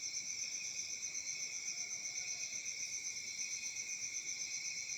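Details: Crickets chirping on a peaceful summer night in Africa; a dense, continuous high-pitched trilling chorus in several bands, pulsing steadily about four times a second, with no other clear sounds.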